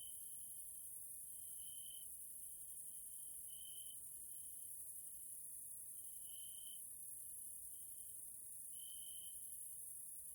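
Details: Grasshoppers (Caelifera) in a Hungarian nature area in Central Europe, evening: a steady high-pitched trill with brighter swelling pulses every one to two seconds, over a constant very high shimmering hiss of insects.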